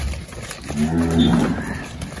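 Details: Girolando heifer calf, about five months old and near weaning, born to Nelore recipient cows on a farm in Anápolis, Goiás, Brazil, 13 April 2023; one short, low, steady moo of under a second, with background noise.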